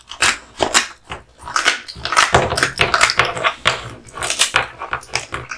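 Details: American Bully (Pit Bull) Kotetsu, male, chewing duck spine jerky: repeated crunching bites mixing brittle cracks with softer wet mouthing, several per second in clusters.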